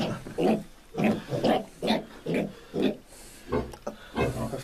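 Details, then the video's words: Ten-day-old Piétrain piglets squealing while being given iron injections: rough, harsh squeals repeated roughly twice a second in a steady series, with a background hiss. "Укол поросят семейства пьетрен железом в 10 дней"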